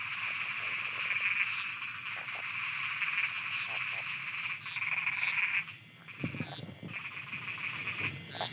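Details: Thai frogs croaking after dark: a continuous high trilling chorus with brief low croaks scattered through it, then the chorus drops away and deeper rough croaks stand out near the end.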